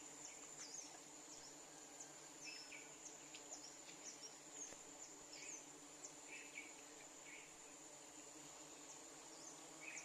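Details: Bees gathering nectar from a flowering tree in rural Bangladesh, heard as a low, steady droning hum of many wings, under a constant high thin insect whine and scattered short, bright chirps.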